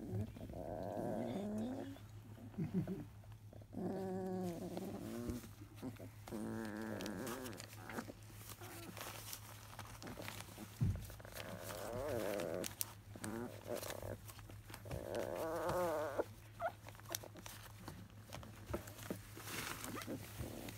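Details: Labrador Retriever puppies of a field line, 23 days old, fussy and restless after their morning nursing, possibly a little cold: repeated high, wavering whines and squeals, overlapping, over a steady low mechanical hum and rustling.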